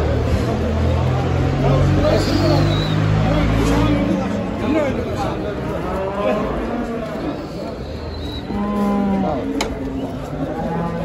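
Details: Simmental heifer, bought at a livestock market, being loaded onto and unloaded from a truck to bring her home; deep drawn-out moos with rich harmonics rise over steady low engine rumble, while people talk nearby and music plays.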